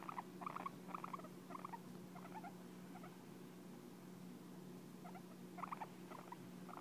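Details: Pet guinea pig named Hay licking and grooming its owner, a sign it really likes them; soft wet clicking bursts in short irregular clusters, pausing midway before resuming, over a steady low hum.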